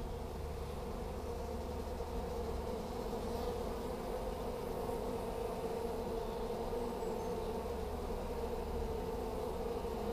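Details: A collected honey bee swarm in Hampshire, May 2015, fanning at the entrance of a new hive with bees entering, makes a steady, dense buzzing hum that never lets up.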